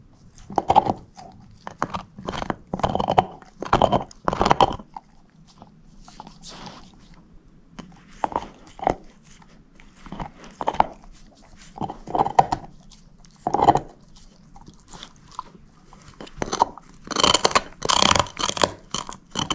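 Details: Moose the shepherd mix dog chomping a bone inside, dense runs of crunchy bites early on, a quieter stretch mid-way, then loud bright cracking crunches near the end, with a low hum beneath.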